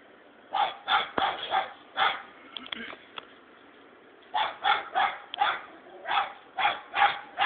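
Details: Six-month-old hunting dog baying at a hedgehog it has found, giving rapid, high, yelping barks in quick bursts of two or three, a pause midway, then a renewed run of barks.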